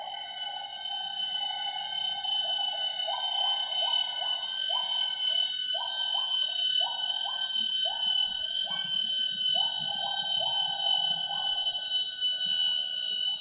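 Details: Gibbon duet song at 07:58 am in Semenggoh's primary rainforest near Kuching, Borneo, where gibbon family pairs sing each morning: a long series of rising whooping notes, repeated about twice a second, over constant high insect buzzing.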